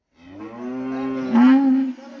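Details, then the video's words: Cows fighting dangerously give a loud, drawn-out moo of about two seconds. It swells steadily and rises into a brighter, strained tone near the end, with men speaking Hindi nearby. "They are dangerously fighting animals cow"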